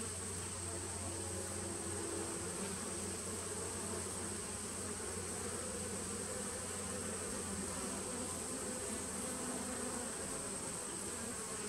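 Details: Honey bee nucleus colony from 2017, recorded 19 September 2018, producing a sustained, deep buzzing hum with slightly wavering mid-pitched tones drifting in and out, over a steady high whine.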